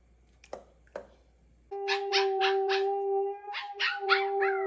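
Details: Dog making strange noises: a sustained, steady whining howl with a pulsing, yodel-like series of about eight rhythmic beats. Two sharp clicks are heard beforehand.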